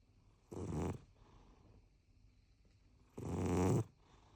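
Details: Rescue cat, four years seven months old, snoring loudly while asleep indoors: two rasping, breathy snores about half a second long, spaced roughly two and a half seconds apart, over a quiet room.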